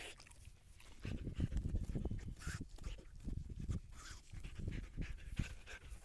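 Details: Siberian Husky on a calm walk, panting hard and fast, about three breathy low puffs each second in an uneven rhythm, with brief hissy accents higher up.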